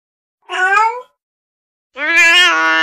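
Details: Female kitten of the domestic cat calling, a sound said to attract cats: two meows, the first short and wavering, the second longer, steadier and lower-pitched with strong harmonics.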